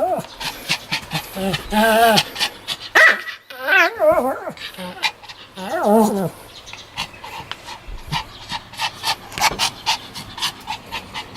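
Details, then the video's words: Sam the Pomeranian, 1 May 2015, vocalizing during a play session with pretend biting. Wavy, warbling moans come in short bursts about every two seconds, mixed with panting and nearby human speech. "ポメラニアン 今日のサムちゃん 犬の鳴き声 噛みつくフリあり"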